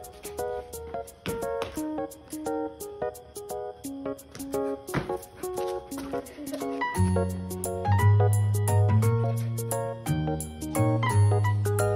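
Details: Plucked-string music with a steady melody and a deeper bass line joining partway through, with no animal sound.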